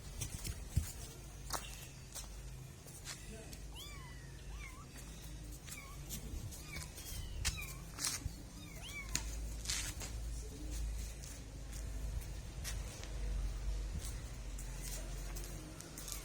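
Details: Kittens mewing: a run of short, high, arched mews, several in quick succession through the middle of the recording, over knocking, clattering thumps and low rumble.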